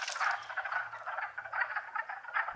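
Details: Wood frog chorus in spring wetlands of Longkill Woods, April 2014: many overlapping hoarse, clucking croaks blending into a continuous chattering din, with a faint low hum underneath.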